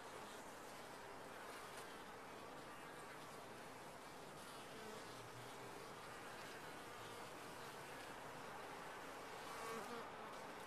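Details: A steady droning hum comes from many bees in a top-bar hive. Separate wavering buzz tones from passing insects rise above it, with a short louder swell near the end.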